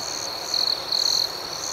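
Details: Cricket chirping at night: two brief, bright, piercing trills rise over a constant high insect chorus, each lasting about a quarter second.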